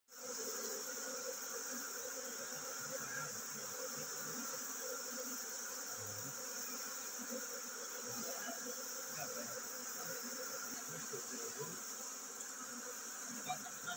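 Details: Honey bee colony preparing to swarm: a dense, steady hum of many bees, unbroken for the whole stretch, with a constant high hiss layered above it.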